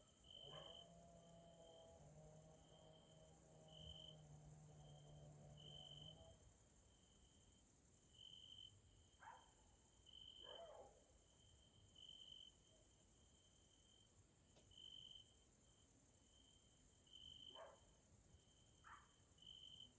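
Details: Grasshoppers calling in the evening in a Hungarian nature area: a constant high shrill drone with a stuttering trill that breaks every second or so. A low steady hum runs through the first six seconds, and scattered clicks follow.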